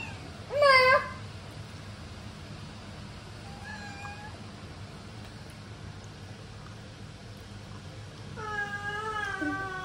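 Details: Indoor Ragamuffin cat near a baby, keeping its distance: a sharp, rising-then-falling meow opens, a faint short meow follows midway, and a long, wavering, drawn-out meow closes, over a soft steady hum.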